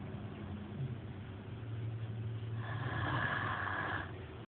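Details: Snoring Great Dane Maximus: a steady low droning hum under soft breathing, then a harsher, louder rasping snore near the end.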